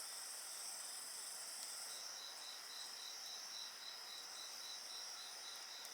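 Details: Night insects singing beside a bonfire: steady high shrill tones overlap, and from about two seconds a rapid, evenly pulsed chirping joins in, while faint fire crackle sits underneath.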